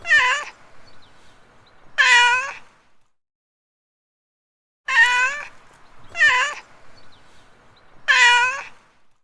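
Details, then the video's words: Domestic cat giving a series of short, sharp meows, each with a slight rise then fall, spaced irregularly with a long pause in the middle, over a faint background hum. "Funny Animals-Cat"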